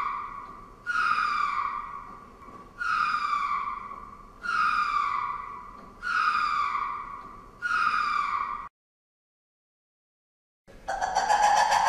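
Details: Five evenly spaced lemur wails, each a rich harmonic cry falling in pitch, repeated about every one and a half seconds, then silence and a burst of harsher, noisier calling.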